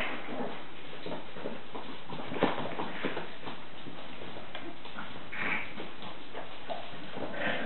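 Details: Staffordshire Bull Terrier puppies at a breeder's kennel, giving a few short, thin whimpers over a steady background of shuffling and scrabbling, with one high whine near the end.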